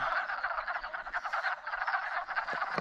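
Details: Wood frogs (Lithobates sylvaticus) in an early-spring mating chorus at a pond after migrating downhill: a dense mass of rapid, overlapping clucking croaks, like distant quacking ducks.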